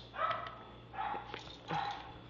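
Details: Baxter, a three-year-old playful Pomeranian/Maltese mix dog, gives three short, high, tonal yapping barks spaced about three quarters of a second apart, indoors with faint background hum.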